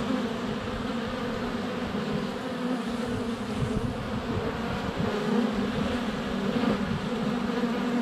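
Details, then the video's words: Many honey bees flying around their hive entrance during sunny February weather, recorded under a foot away on a GoPro Hero 7 Black; constant layered humming buzz, swelling slightly in places. "4K Honey Bees - ambient video and audio"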